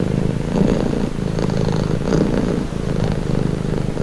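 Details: Close, deep purring of a cat, a rapid fluttering rumble that brightens briefly with each breath, about three breath cycles over four seconds, nothing else audible.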